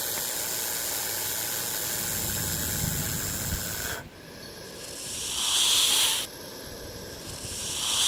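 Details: A snake hissing as a warning meant to impress a threat and avoid direct confrontation: long, dry, breathy bursts of broadband noise, steady at first, then a louder surge midway, with faint background noise.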